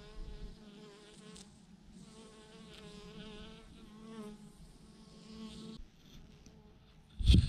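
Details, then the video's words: Swarm of thousands of honey bees clumped on a branch; even droning hum with rippling harmonics, briefly dipping before a loud low-frequency bump or handling knock at the close. "thousands of BEES hanging on a branch in a massive clump"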